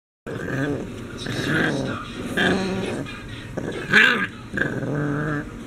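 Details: English Bulldog puppy, left alone indoors and fighting a baby gate, gives grumbling, whiny growls in short harmonic bursts, rising and falling about once a second, with a brief higher squeal near the end.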